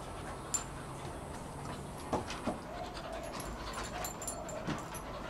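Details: Two dogs playing, a 1-year-old female Shar Pei and an 8-month-old Kelpie x Border Collie, trying to grab each other's cheeks; soft steady panting with a few sharp clicks and thumps, fairly quiet overall.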